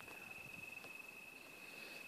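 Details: Crickets give a steady, high, thin trill that runs on without a break after sundown at a campsite in the Wichita Mountains Wildlife Refuge near Lawton, Oklahoma, in November 2012.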